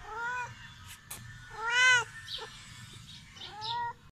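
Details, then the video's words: Young male kitten giving three high, tonal meows, the middle one loudest and arched in pitch, with faint clicks and rustling between them. "My heart melts when he says meow"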